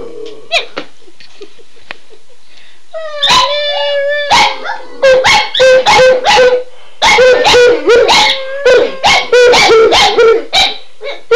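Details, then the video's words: Two pet dogs, Shelby and Shiloh, howling wildly when their owner says "Run Guy run": a few sharp yips, then sustained wavering howls with rich harmonics overlapping one another, broken by brief pauses, loud and close. "Howling Dogs II"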